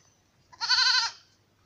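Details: Black Bengal goat on a farm raised by modern methods: one short, strongly harmonic bleat of about half a second, steady and slightly wavering, in quiet surroundings.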